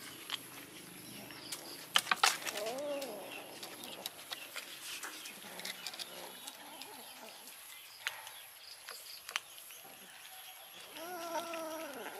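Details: Kitten and adult cat mewing loudly at a person because they smelled fish. Drawn-out harmonic meows rise and fall near the start and again at the end, with human speech, clicks and rustling in between.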